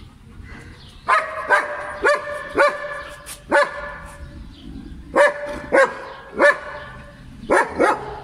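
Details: Playing German Shepherd dog in Pakistan gives loud, ringing barks in short bursts of two to four, roughly ten barks separated by brief gaps, over a low background hum.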